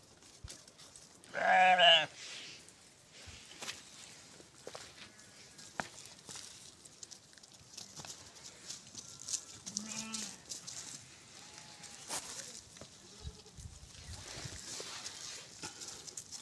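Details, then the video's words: White goat in snow: one loud wavering bleat near the start lasting under a second, then fainter scattered bleats amid wind noise and rustling. "#white goat in snow"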